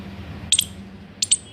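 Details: Squirrel giving two pairs of sharp, very high chirps, each pair a quick double squeak about three-quarters of a second apart, over a low steady hum.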